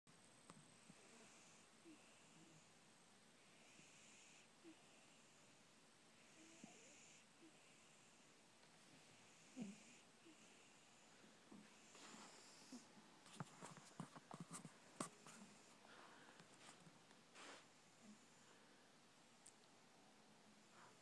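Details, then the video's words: Coco, a pet cat sound asleep, snoring softly indoors: breathy hissing breaths repeat about every two seconds, later joined by scattered faint clicks and rustles. "Coco snoring"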